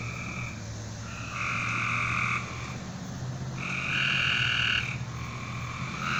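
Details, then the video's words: Frogs at night trading drawn-out buzzing trills, each about a second long, alternating with pauses. A steady low hum runs underneath throughout. "A Strange Night Sound? And Frogs!"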